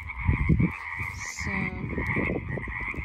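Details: A chorus of frogs beside a road keeps up a steady high trilling drone, while low knocks, rustling and a brief voice-like sound cut in near the start and middle.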